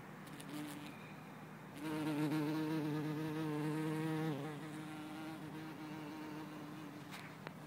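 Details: A bumblebee, possibly Bombus hortorum or Bombus terrestris, in Lisbon on 4 December 2011, gives a deep, steady droning buzz, swelling loud for a few seconds before settling to a softer hum.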